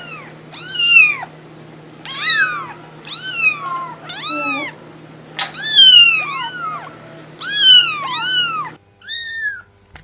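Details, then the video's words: Cat calls: high-pitched, clear meows repeated roughly once a second, each rising then falling, over a faint steady low hum. "cats voice/ lovely cats."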